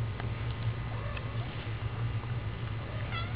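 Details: Domestic cat with her babies, said to be protective of them; a short harmonic meow comes near the end, with faint tonal calls earlier, all over a steady low hum.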